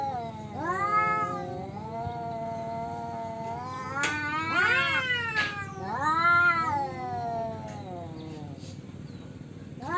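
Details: Tomcats contest territory with repeated long, wavering yowls, one swelling into a higher, strained howl, separated by brief pauses and a few sharp clicks or knocks in the background.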